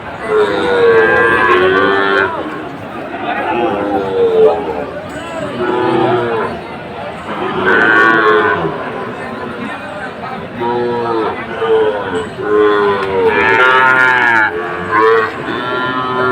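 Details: Lowing of Sahiwal bull calves at a busy Saturday cattle market in Aftabganj, Comilla, Bangladesh, 17 August 2024: repeated drawn-out moos rising and falling every few seconds, amid crowd voices and music.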